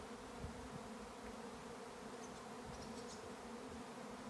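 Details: Many bees in a swarm on an Irish farm in County Kilkenny produce a thick, constant droning hum, with a few faint, thin bird notes at the edge of hearing.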